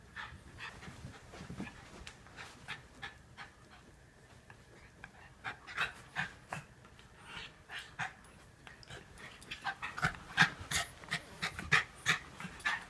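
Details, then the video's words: Norfolk Terriers Otto and the narrator wrestling to keep Ernie under control: rapid, breathy panting in quick irregular bursts, about three a second, with snuffles, growing louder and busier over the last few seconds. "Norfolk Terriers Keeping Ernie Under Control"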